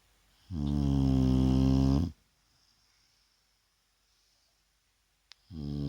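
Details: Resting in the daytime, Vaya the Shar Pei produces a loud, low, buzzing snore of about one and a half seconds, followed by quiet, a small click, then the next snore beginning.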